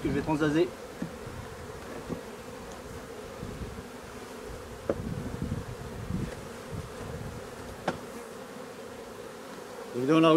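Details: Honey bee colony with drone-laying workers, being replaced: a constant mid-pitched droning hum with scattered low knocks and clicks, bracketed by brief human voices at the start and end.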